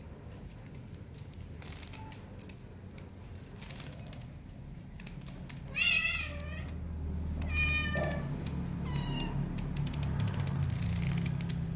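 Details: Bengal cat. A Bengal cat meows a few times, each call harmonic-rich and bending up then down in pitch. A steady low rumble and faint room noise sit underneath.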